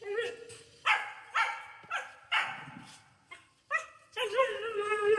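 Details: Siberian Huskies, two of them, noisily vocalizing while their owner hands out cucumber: a run of six or seven drawn-out, tonal, wavering yowls in quick succession, the last one long and sustained, with people talking and laughing alongside.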